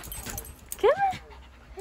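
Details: Husky puppy being encouraged onto a bed while playing with a shih tzu: one brief squeaky whine that rises then levels off, followed by a fainter short squeak, over light background noise and soft human speech.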